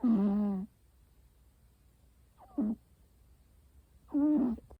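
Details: Snoring American Shorthair cat: three nasal, humming snores, the first long and steady, the second brief and clipped, the third wavering, separated by quiet gaps in a still room.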